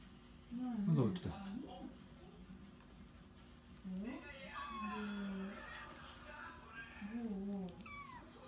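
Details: Kitten named Oiro, a clever youngster that walks to its litter box by itself right after eating, gives several drawn-out meows, some rising then falling, with a startled human voice speaking over the start indoors.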